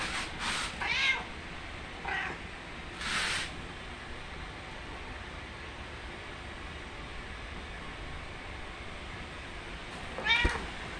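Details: Domestic cat giving plaintive meows while wanting breakfast as its owner cooks; short harmonic meows near the start, another around three seconds, and a final one near the end, with long quiet stretches between.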